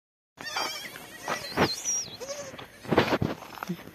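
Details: Small, cute baby goat giving short broken bleats. Wavering squeaky high tones and clattering noises run through, with a brief low bleat midway.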